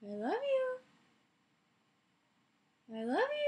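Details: Alaskan Malamute indoors, lying in bed and vocalising with its owner. It gives two smooth, rising, howl-like 'woo' utterances, each under a second long, separated by silence.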